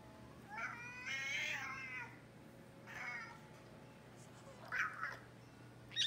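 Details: Excited male American Shorthair, a classic silver tabby kept indoors as a pet, squeaking because he wants to interact and play with his toys: a long warbling harmonic call, then two shorter squeaky chirps, over a steady low hum.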